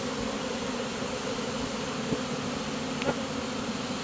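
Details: Honey bee swarm moving into a new home during capture: a steady low droning buzz, interrupted by two faint tapping knocks.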